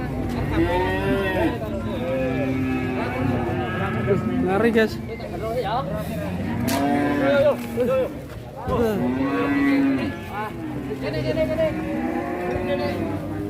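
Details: Large bull being unloaded from a truck in Indonesia, agitated: repeated long, strained moos and bellows, each several seconds, over steady engine noise and voices.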